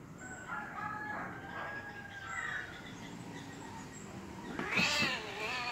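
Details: Angry domestic cats fighting: drawn-out wavering yowls through the first seconds, then a sudden loud harsh screech with stacked bands near the end; other faint bird calls in the background.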